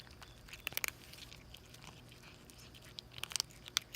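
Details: Hungry stray mother cat and her two kitten daughters eating in a hurry; quiet, uneven crunching and sharp biting clicks come in brief clusters, with a soft, steady low hum underneath.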